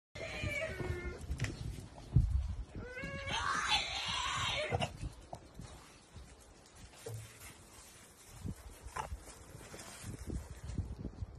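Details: A male French Bulldog stuck on the wrong side of the fence gives shrill, wavering, almost human-like screams at his owner, wanting back into the yard.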